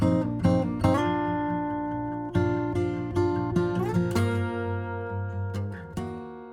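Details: Acoustic guitar music with plucked and strummed chords is the only sound, and no animal is heard.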